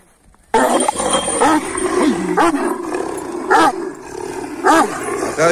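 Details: Kangal shepherd dogs barking a lot: loud, hoarse barks come in short, irregular bursts about once a second over a continuous rough background.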